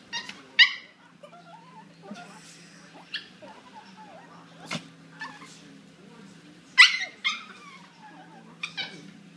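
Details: Two dogs locked in a fierce fight. Sharp, piercing yelps and shrieks come in scattered bursts a second or two apart over a constant low hum and faint background murmuring.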